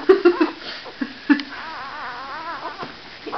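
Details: Bottle-fed Great Pyrenees puppies, one of a litter of three, still acting hungry after a feeding indoors; a few short squeaks, then a wavering, quavering whine lasting over a second, with soft background murmuring.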